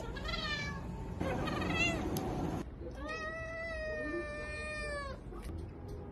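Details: Domestic cat meowing loudly: three drawn-out harmonic meows, the first two short and bending, the last held steady for about two seconds, over a low constant background hum.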